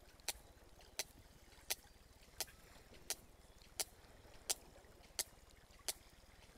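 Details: A sperm whale recorded off Otago, New Zealand, gives sharp, broadband echolocation clicks, used for navigating and finding food, evenly spaced about every 0.7 seconds.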